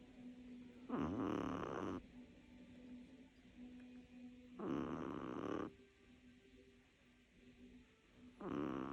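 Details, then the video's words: Little Chihuahua Lilou snoring while asleep: three drawn-out, buzzing snores with a tonal, vibrating quality, spaced by quieter breathing with a faint steady hum. "Chihuahuas petite Lilou qui ronfle"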